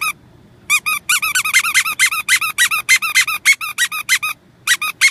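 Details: Golden Retriever puppies giving a long run of shrill, squeaky yelps, about three per second and unevenly spaced, after a brief silence; the high, curved notes keep coming with only short gaps near the end.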